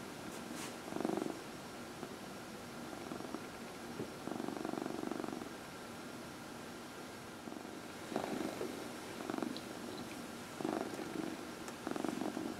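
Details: Massage time on a lap in the early evening for Dinah, a 14-year-old cat; her purring rises and falls in repeated rumbling waves, some rustling sounds near the start.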